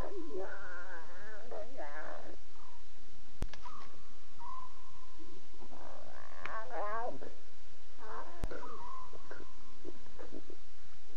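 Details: Nighttime chatter of lion cubs, 2:40 a.m., October 5, 2016, Safari Live; bursts of quavering, warbling mews come in clusters separated by brief quieter gaps, with faint steady tones and hiss behind.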